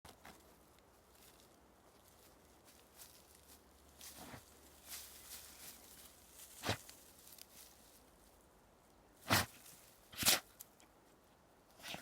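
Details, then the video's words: A black hunting hound puppy stubbornly digs the ground with his nose, helping with his paws. Soft scuffling is broken by sharp, noisy snorts and sneezes, with the loudest two close together near the end, in a quiet outdoor setting. "Puppy digs the ground snorting and sneezing"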